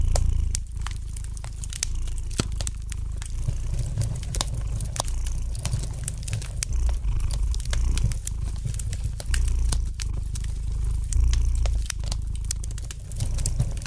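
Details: Soft, sustained low purring from a domestic cat near a fireplace, steady and unbroken, overlaid with dense irregular crackles and snaps from the fire.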